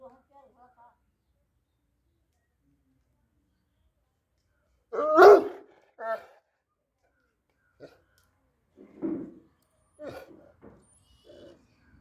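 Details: A French Mastiff (Dogue de Bordeaux) at a kennel in Varanasi, India, gives a few deep, harsh barks spaced by pauses after seeing other dogs; French Mastiff (Dogue de Bordeaux).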